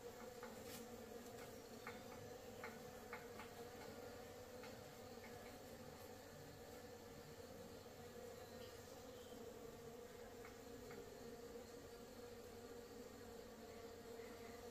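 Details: Honey bees brought from the forest to a breeding farm for honey: a low, even buzz of many bees held throughout, with scattered faint ticks and clicks.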